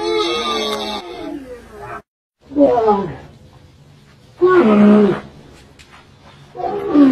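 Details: Camel calling: several separate harsh, moaning roars with bending harmonic tones, each lasting about a second, split by quiet pauses and one short full silence.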